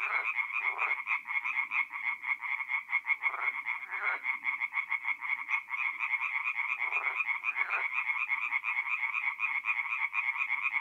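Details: Chorus of tree frogs singing at night at a forest pond in mid-April in north-eastern Italy: dense, rapid pulsed croaking from many overlapping frogs, bright and rattling, with a few lower, louder croak bursts breaking through every few seconds.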